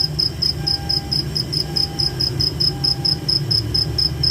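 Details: Crickets chirping at night in a forest, a steady high-pitched pulsed trill repeating about four times per second, with a low rumbling background and a faint thin tone recurring every second.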